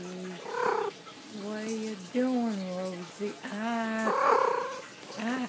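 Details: A cat named Rosie, on a bed, gives a drawn-out meow near the start and another near the end, while a person talks to her in between in a low, steady voice.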